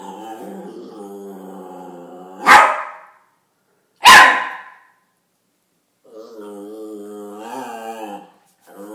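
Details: Chihuahua playing the tough guy: a steady, buzzy growl, then two sudden sharp barks about one and a half seconds apart, then another wavering, rumbling growl that rises slightly in pitch before fading.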